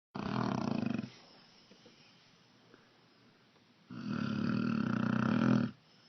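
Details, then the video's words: A sleeping tan-brown pet dog snoring in a dark room: a harsh, rasping snore of about one second, a quiet pause of soft breathing, then a longer, louder rasping snore lasting nearly two seconds. "Dog snoring"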